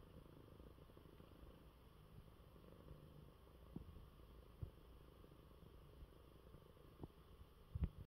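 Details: Coco, a male cat who is unwell, purring in his bed after eating well; a steady low rumbling purr runs through the clip, with a few soft clicks and knocks.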